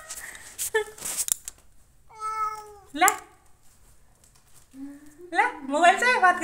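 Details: A cat mews once clearly in a level, harmonic tone, followed by a rising, wavering cry, among a person's coaxing Hindi baby-talk and household noise in a small room.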